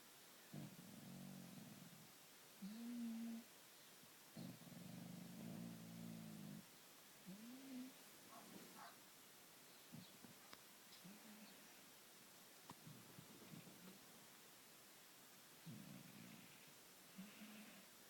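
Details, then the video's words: Domestic cat asleep, snoring and purring: soft, low rumbling stretches lasting a second or two, broken by a few brief higher squeaky notes, all quiet against faint background hiss. "Snoring and purring cat"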